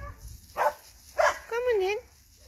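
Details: Two dogs, Tusko and Rijko, meeting again, with Rijko not happy about it. Two short sharp barks are followed by a wavering, mid-pitched whine of about half a second over a low background hum.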